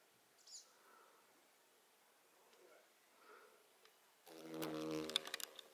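A June beetle takes off with a sudden low, droning wing buzz after a few quiet seconds.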